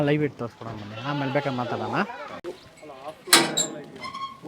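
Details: Beetal goat at a goat farm in Erenahalli village, Bangalore rural, Karnataka: a wavering, nasal bleat lasting about two seconds with a tremolo toward its end, followed by clattering and rustling farm noise.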